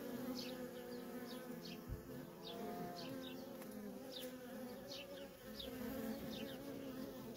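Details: Worker honey bees in constant traffic at a feral colony: a dense, steady droning hum with layered low tones, overlaid by short high chirps of birds in the background and a brief thump near two seconds.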